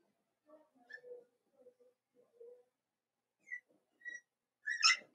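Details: Litter of five blenheim Cavalier King Charles Spaniel puppies, born on New Year's, in an indoor puppy pen; soft low grunts and murmurs, then a short burst of high, squeaky whines near the end in a quiet room.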